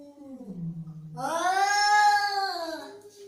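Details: Angry domestic cat: a low grumbling growl swells into one loud, drawn-out, arching wail that peaks midway and fades, recorded in a quiet room.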